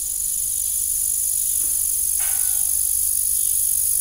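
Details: Crickets chirping in the evening beside an old farm windmill: a steady, high, shimmering insect chorus runs throughout, with one short broadband creak near the middle.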